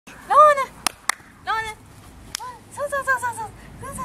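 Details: Young male Toy Poodle born on 25 February gives short arched whines, rising then falling, in bursts. A few sharp clicks and taps sound between them, with a rapid run of four or five whimpers near the end.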